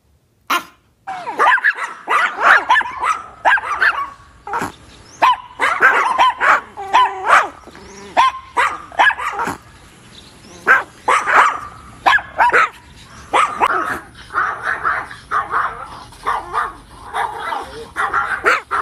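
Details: Little Chihuahua barking at a cat, giving rapid bursts of yappy barks and yips in clusters, some with a whiny, growl-like edge, nearly continuous across the recording.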